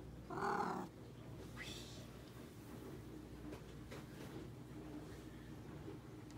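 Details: Pet cat being clingy and social in the late evening gives one short, rolling, purr-like trill near the start, followed by quiet indoor room hum.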